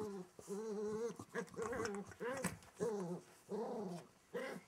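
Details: From beneath a wardrobe, a Welsh Terrier puppy growls in short, tonal, whiny phrases, rising and falling, repeated about every half second.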